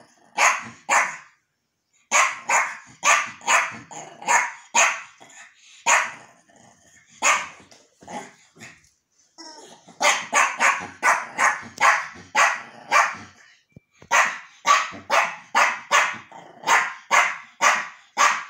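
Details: Yorkshire terrier indoors meeting a new toy, barking excitedly in quick bursts: sharp, high, yappy barks in runs of several, about two dozen in all, separated by short pauses.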